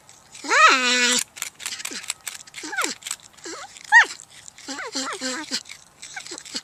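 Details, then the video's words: A long moaning whine with a sudden drop in pitch opens this porcupine sequence, followed by shorter squeaky rising-and-falling calls and a few clicks and rustles between them. "PORCUPINE SOUND EFFECT 호저 울음소리"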